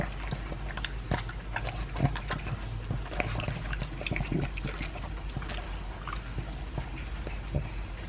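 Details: Pug named Elvis, aged two, eating dry food with beef chunks; dense wet smacking and crunching clicks run throughout, busiest in the first half, then thinning to scattered bites over a faint constant hum.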